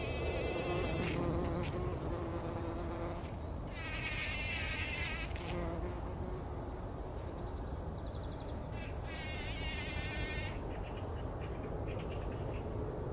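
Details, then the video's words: Bumblebees wallowing in poppy flowers before sunrise, recorded in 2019, give a continuous low buzzing drone, while bursts of warbled birdsong rise and fall over it several times. "Hummeln wälzen sich in der Mohnblüte – summend wird das Pollenbad angenommen"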